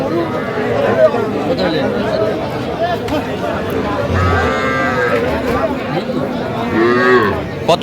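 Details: Cattle at a market in Faridpur, Bangladesh, on 11 November, where a farmer buys small bulls and heifers: a drawn-out, tonal, harmonic lowing rises and falls mid-clip and again near the end, nearly buried under constant crowd chatter and haggling voices.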